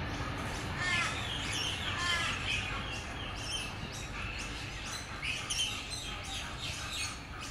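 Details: A Tasmanian devil, very grumpy that day, gives harsh, rasping screeches in quick, irregular bursts.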